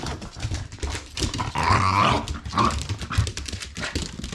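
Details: Indoor ball play by a Shiba Inu that attacks the ball because its small mouth struggles to hold it; low grumbling growls rise to a louder rough stretch midway, then short grunts amid thumps and rustling.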